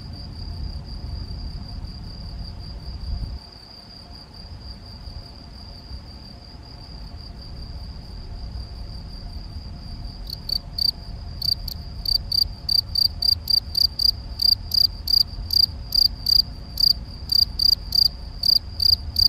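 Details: Male Gryllus campestris field cricket at Macieira da Maia, Vila do Conde, Portugal, on 7 May 2021, recorded with a Canon PowerShot SX70 HS. A quiet stretch of low rumble gives way to steady, rapid, high-pitched chirping in the second half.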